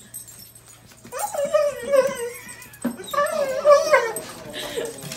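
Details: Reunited with a soldier, a German Shepherd gives two drawn-out, quavering whines, each rising and then sliding down, separated by a brief pause, over a faint steady room hum.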